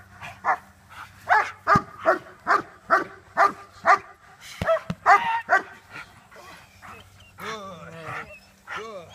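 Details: Young German Shepherd in early protection bite training, moving from sleeve to jacket ahead of civil and defense work; loud gruff barks in a steady series about twice per second, then a man speaking over softer whining sounds.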